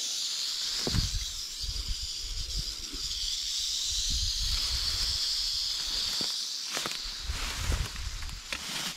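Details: Two big timber rattlesnakes lying close together in an overgrown field as they are caught: a steady, dry, high buzzing rattle runs unbroken through the whole stretch, over rustling vegetation, footstep thumps and a few words.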